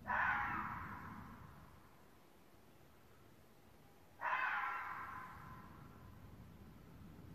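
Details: A vixen red fox gives two harsh, hoarse screams, each bursting out suddenly and fading over a second, near Damascus, Maryland, around 8 PM on 24 November 2017.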